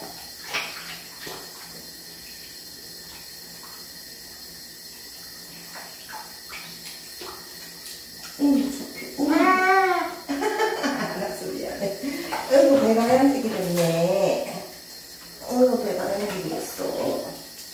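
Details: Cat being bathed in a tub, letting out a run of wavering, rising-and-falling meows in quick succession over running water and splashing, with a final cry after a short pause.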